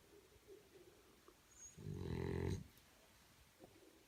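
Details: A French Bulldog puppy snores, giving one rough, rumbling snore against a quiet background.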